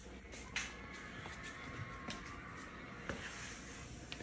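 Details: Quiet indoor room tone with faint background music and a few soft knocks and clicks, without any clear animal sound.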